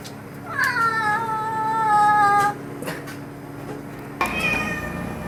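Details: House cat's long, loud meow that starts high and glides down into a sustained wavering tone lasting nearly two seconds, then a second abrupt, harsher meow after a quiet pause with faint clicks.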